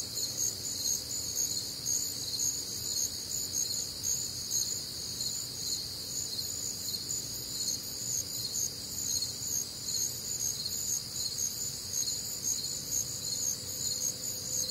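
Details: Crickets and other night creatures on a warm, humid Midwestern summer night; a shrill stacked trilling chorus pulses about twice every second without pause, faint low background hum.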